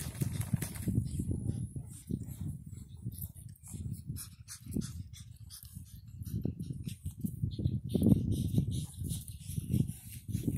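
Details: Pug puppies nine weeks old at play in Cheyenne, Wyoming, born 17 August 2019: dense low snorting grunts in irregular bursts roughly every half second, rising and falling in loudness, over scuffling noises.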